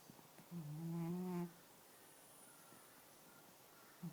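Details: Ning, a sleeping black and white pet cat, lets out a single low, steady, humming snore lasting about a second, followed by near silence with faint room noise.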